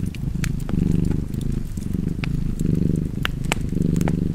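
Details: Cat purr by a fireplace, deep vibrating rumble pulsing in breath-length waves roughly every second, with scattered crackles and snaps from the fire over the top.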